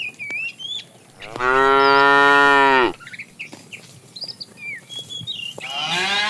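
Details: Tame cows setting off on a long journey to fresh pasture; one loud, sustained moo lasting nearly two seconds, a second moo starting at the end, birds chirping in between.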